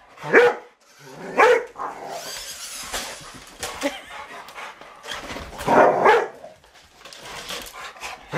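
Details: Rottweilers playing with a remote control truck give loud single barks, two about a second apart, then a doubled bark after a pause, with soft rustling and scuffling between.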